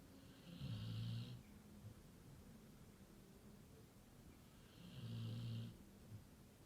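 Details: Labrador Retriever snoring very loudly: two long, low rumbling snores about four seconds apart, each lasting close to a second, with a faint hissing upper tone over each breath and quiet breathing between them.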